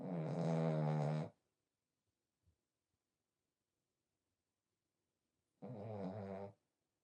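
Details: Smile, a pied French Bulldog and the younger of two sister dogs, snores in her sleep. A loud rasping snore opens, then quiet with a faint tick, and a second shorter snore follows about five seconds later.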